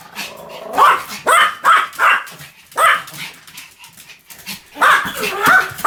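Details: A Pomeranian lets out sharp, high-pitched yaps in clusters of three or four, pauses briefly, then resumes barking.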